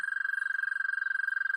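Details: American toad call played back in a garden pond storytime: a long, loud, steady high trill with rapid even pulses throughout, a clean sustained tone with faint overtones and no other sounds.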